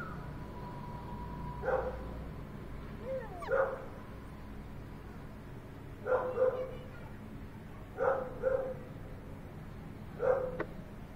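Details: A chocolate English Labrador Retriever male pup with a heavy muzzle gives short, soft barks and yips in small bursts roughly every two seconds, with a brief whine between, over low room hum.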